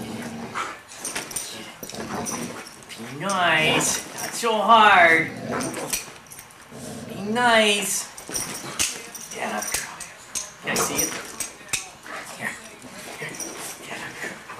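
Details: German Shorthaired Pointer and Yorkshire Terrier at play: high, wavering whining yelps around the fourth to fifth second and again near the eighth, between scuffling and clattering noises.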